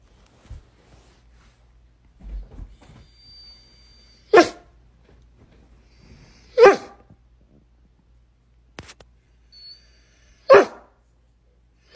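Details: Doberman fussing until let under the covers indoors: loud sharp barks about every two to three seconds, with soft grumbles and whines between them in a quiet small room.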